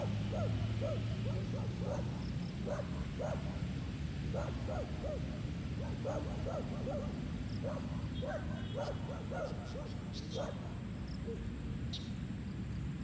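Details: Chocolate Labradors Apache and Kiowa, outdoors on the go on a sunny day, yelp in quick excited runs of short arched yips, several a second, above a constant deep droning rumble.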